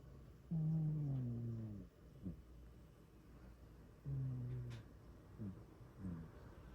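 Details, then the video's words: Sleeping cat producing heavy snores, a long low nasal drone as it breathes in, then quick fluttering exhale snorts, twice over. "My cat snores really loud"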